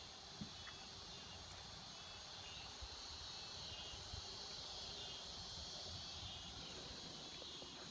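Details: Cicadas singing in a swamp, their continuous high whine filling the background, with a few faint clicks and soft low rustling underneath.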